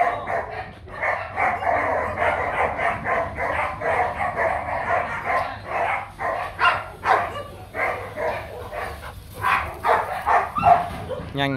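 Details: Young male Rottweiler Nano, a Gervi kennel stud to be paired with German import female Zora Kummelsee in 2024, moving quickly outdoors; rapid, uneven runs of broad barks, roughly two per second, with a brief whine near the end and a low background hum.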